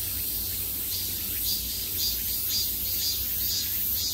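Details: Cicadas at the height of summer, calling from all sides: a dense, high, hissing buzz that swells in regular pulses about twice a second, over a steady low rumble.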